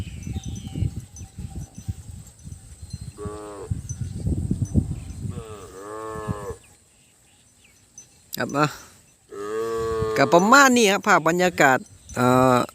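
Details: Calves cut off from their mothers bawl in chorus: low rumbling and shuffling, then a pair of wavering moos, a short near-silence, and a loud run of overlapping rising-and-falling cries to the end.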